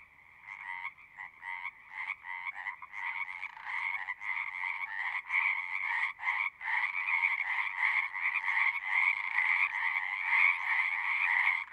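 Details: Frogs singing at a pond in a horse pasture, captured on a Zoom 6 recorder: a dense chorus of rapid trilled croaks, stopping and starting in short bursts at first, then swelling into a steady, loud, unbroken din.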